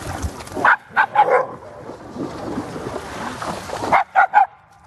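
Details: Black female Shiba Inu yapping at a pack of dogs in water at Groenendaal woods: a burst of four quick sharp barks, a noisy pause with faint voices, then three more rapid yaps.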